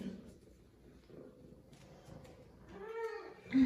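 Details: Zara, a female F2 Savannah cat, excited because she missed her owner, gives one short arched meow near the end, with rising and falling tone, after quiet indoor murmuring and a woman's voice.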